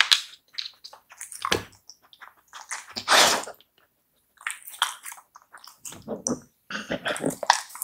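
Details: Samoyed dog eating raw meat indoors in a small room, close-up ASMR mukbang recording: wet, crunchy bites and smacking chews in irregular bursts, with brief silent pauses and one loud crunch near the middle.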